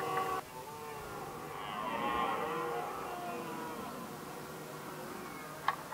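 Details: Red deer stags in Västmanland, Sweden, 2010, competing over the hinds: deep, drawn-out, harmonic rutting roars of rival males.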